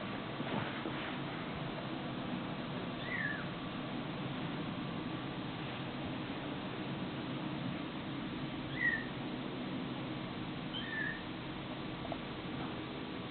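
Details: Domestic kittens and cats from a funny-pets compilation: faint, high, brief mews that slur downward, heard three or four times across the stretch against a constant background hiss and a few soft knocks.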